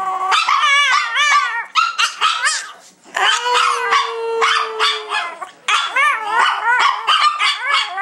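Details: Singing Chihuahuas at home: seven-year-old Prada leads her sisters Tinkerbell and Dasha. Dense chorus of bent, quavering yowls in bursts, with a brief pause and a single low steady tone sustained for about two seconds.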